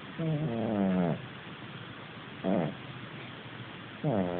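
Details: Sleeping rescued domestic cat, formerly a street cat in Hackney, snoring: long harmonic rasping breaths about a second each, repeated at intervals of roughly one and a half seconds, over a steady low background hum.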